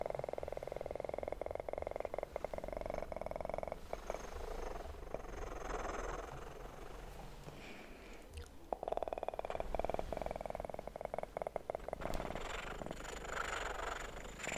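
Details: Kitten purring in a sleep-oriented ASMR recording, a steady low rumbling purr running through most of the stretch, overlaid with crackling, rustling handling noises and a faint constant high whine.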